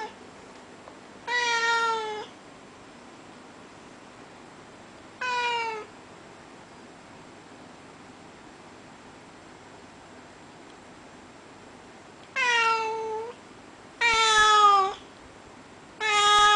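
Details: Pet Russian Blue cat, a breed called the voiceless cat, meowing because it wants to go outside: five loud harmonic meows, each falling slightly in pitch, spaced irregularly with long quiet gaps.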